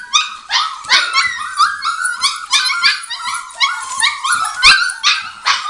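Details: Litter of Border Collie puppies, five weeks old, producing rapid high-pitched yelps and squeaky whines, roughly two or three cries a second, voices overlapping in a busy chorus.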